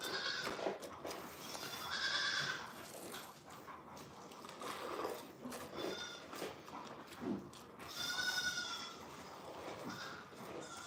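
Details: A goat on The Willful Goat Farm & Home lets out a bleat early on and a longer, shaky, nasal bleat near the end, between bursts of background clatter and indistinct talk.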